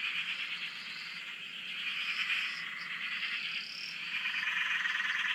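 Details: Frogs calling at a dam in Australia, heard from a shack: a continuous mass of fast pulsed croaks with occasional higher sliding notes above, steady throughout with slight swells in loudness.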